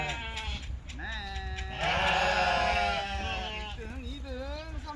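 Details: Lamb at a sheep farm in Goheung, South Korea, running like a puppy; a wavering, quavering bleat swells loudly around the middle, with people talking throughout and low rumbling background noise.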